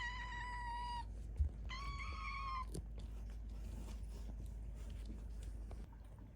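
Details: Hungry kittens at a cat volunteer shelter in Tama City, Tokyo, giving two clear, high meows, each steady then slightly wavering and falling at the end, followed by low room rumble and faint rustling.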